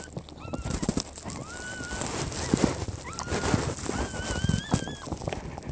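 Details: French Bulldog Zhena during a natural birth with newborn puppies: a run of thin, high whining squeaks, some wavering and some rising, repeating through the clip over soft rustling and handling noise.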